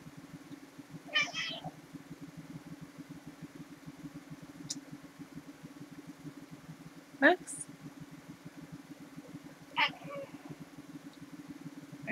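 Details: Relaxed cats indoors: three short meows, the first near one second, a sharp rising one near seven seconds and another near ten, over a steady low mechanical hum.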